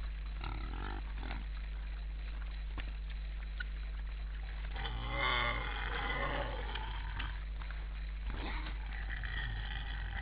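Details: At least 20 wild boars on an Estonian forest camera on 12 December 2012 at 17:10, stamping and pushing each other for food: short grunts early on, then a drawn-out harmonic squealing grunt midway over a steady electrical hum.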